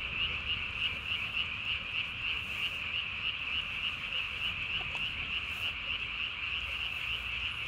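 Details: Japanese tree frogs calling at night, 3 May 2020, chin vocal sac blown up as big as the body; an unbroken high buzzing trill with rapid beats, around three pulses per second, and a faint knock midway.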